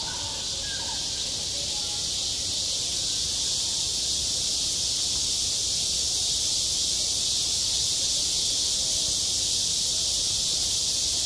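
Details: Midsummer cicada chorus at a school playground, an unbroken shrill, hissing drone held at the same level for the whole stretch, with only a few faint soft tones underneath at the start.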